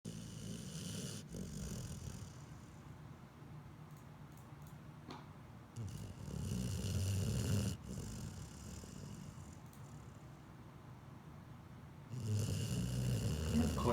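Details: Sleeping pit bull snoring: deep, rumbling low breaths in rough cycles, growing louder and fuller around the middle and again near the end.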